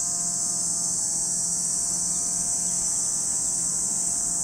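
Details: Lake Kamo in Sado City, Niigata Prefecture, Japan, ringing with cicadas: one unbroken, high, hissing buzz. Quiet low hum and steady faint tones lie underneath.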